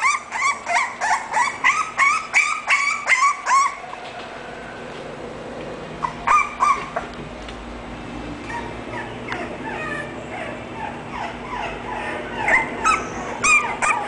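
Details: Sokko, an English bulldog from a breeder: a rapid run of thin, whining whimpers for about four seconds, then quieter scattered whines with a steady background hum.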